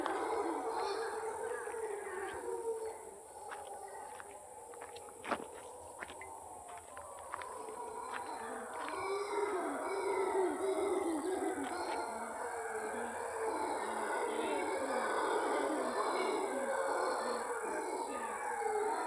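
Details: An eerie chorus of howler monkeys on a morning walk in Cahuita, Costa Rica: a continuous, guttural, rolling roar that rises and falls in waves, with one sharp snap near the middle.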